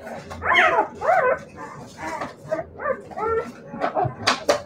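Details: Siberian Husky puppies giving high arched whines and yelps in quick succession, each sweeping up and falling back, with a few sharper squeaks near the end.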